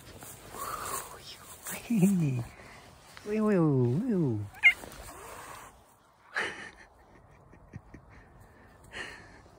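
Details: Black cat telling a human to back off, a drawn-out, wavering, harmonic yowl rising and falling after a shorter downward call, with a person's voice and brief knocks around it.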